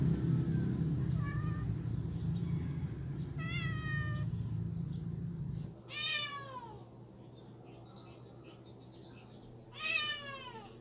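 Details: Cat meowing to be let outside: three insistent, sharply rising and falling meows spaced a few seconds apart, with a loud low droning hum during the first half.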